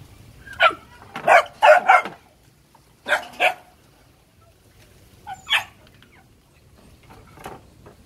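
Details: A litter of Phu Quoc Ridgeback puppies at a Saigon kennel barks in shrill, clipped bursts, several yaps in quick succession, then a pair of barks, a lone yap and a faint final one, over low background hum.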